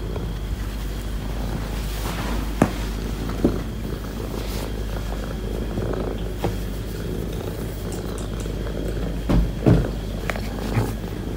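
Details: Female cat, a cared-for stray, purring while settled on a person's lap demanding attention; a low, continuous rumbling purr with occasional soft knocks and rustles.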